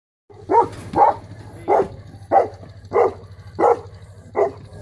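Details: A 3-year-old female Saint Bernard barks while guarding: seven deep, evenly spaced barks, about one every 0.6 seconds, over a steady low hum.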